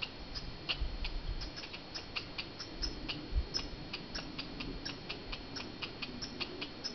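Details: Wild squirrels fighting in Banff, Canada. A quick run of sharp, dry clicking chips, about three to four a second, continues without pause over a faint low rumble.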